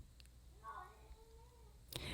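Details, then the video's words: Domestic cat meowing in the background from outside the room during a spoken reading indoors; one drawn-out, wavering meow, slightly falling then level, followed by a sharp click. "I'm hearing a time period of good fortune and Kitty is meowing in the background. Kitty is for confirmation."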